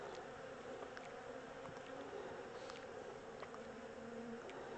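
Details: Honey bee swarm, the second one caught, being moved from a small temporary box into a larger hive; a steady, dense low hum of many bees runs throughout, with a few faint scattered taps and clicks.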